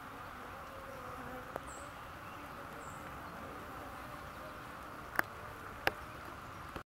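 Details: On a rainy day, busy honey bees fill the air with a continuous low buzzing drone, broken only by a few brief, sharp taps.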